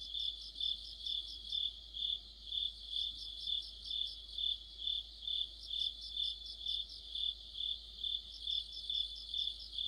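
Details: Crickets and fellow insects in a deep-autumn night chorus by a streetlight, high shimmering trills pulsing roughly twice a second without pause, several singers overlapping.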